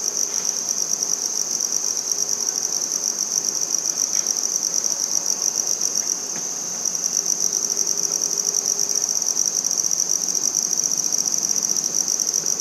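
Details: Handsome trig, also called red-headed bush cricket, singing on 14 September 2019 in Maynard, Massachusetts: a continuous high, thin trilling buzz held without pause, with a few faint low background sounds.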